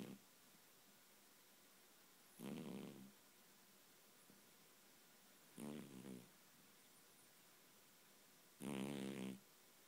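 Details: Sleeping pet cat, dreaming and twitching, snoring: three drawn-out rattling snores spaced about three seconds apart, the last the loudest, with faint background hiss in a quiet room.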